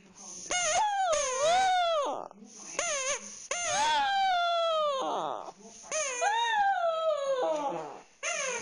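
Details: Pet dog Fluffy crying while playing with his stuffed toy, in long wavering whines that rise and bend downward, several drawn-out cries in succession with brief pauses between them.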